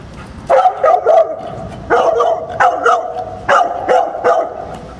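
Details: Male dog in training on 22 July 2015, giving a focused bark alert directly at a source without disturbing it; loud, sharp, harmonic barks in quick clusters, about six over five seconds, with a quiet background.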